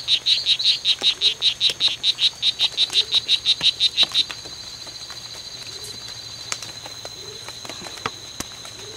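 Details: Two male strawberry poison-dart frogs (Oophaga pumilio) fighting in the C.R.A.R.C. reserve, September 10th, 2012, during a fight lasting from 11:00 am to 4:00 pm; a rapid series of about twenty high, buzzy chirps over four seconds, then quiet background.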